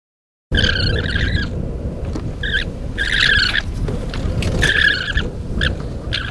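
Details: A group of vicuñas, playing or arguing, along the B245 between El Tatio and San Pedro de Atacama, northern Chile, give shrill, warbling, whistle-like calls in short bursts over a steady low wind rumble.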